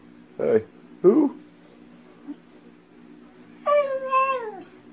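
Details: Indoor beagle lets out two short sharp barks, then a single harmonic howl of about a second that wavers and falls in pitch at the end; low background hum, no other voices.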